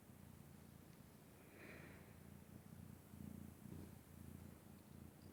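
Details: Loud sleeping snore from Vaska the pet cat: a low, grainy, purr-like rumble that pulses unevenly with each breath, rising a little in strength toward the end, in a quiet room.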